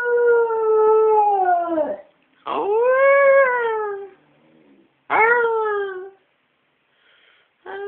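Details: Singing domestic dog giving three separate howls about two seconds each, the middle one arching up then falling, all sliding downward at the end with short silences between.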